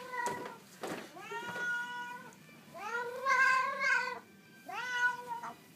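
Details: Hungry, talkative Siamese cat indoors, giving a string of about five drawn-out, harmonic meows, several rising then falling, with short pauses between them.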